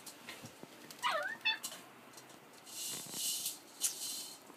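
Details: Collie puppy, 47 days old, filmed on 4 July 2013, gives a brief high whimpering yelp that bends up and down, followed by rustling, tapping and soft scuffling sounds indoors.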